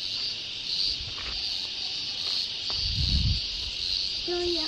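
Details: Cicadas singing in the middle of a forest along the road to the waterfalls: a steady, high, hissing buzz that pulses slightly. Voices talk briefly over it, and there is a low thump near the end.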